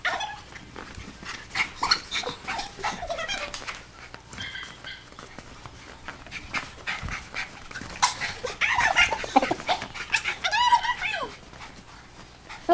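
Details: Sakari, an Alaskan Malamute playing in the snow, gives a run of yips, whines and drawn-out, wavering woo-like calls.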